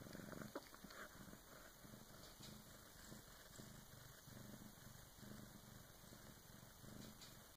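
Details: Female Bengal cat purring during the birth of her first kitten, another cat assisting; low, rhythmic pulsing purr repeating in even bursts, quiet and close, with a steady faint high-pitched hum behind.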